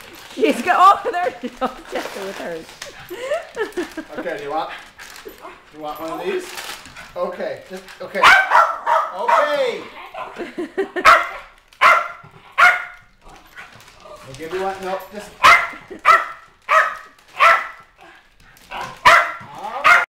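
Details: Two Norfolk Terriers on Christmas morning 2011, excited while opening a present, give short, sharp yips and barks in quick bursts, often several a second, mixed with a woman talking and coaxing them.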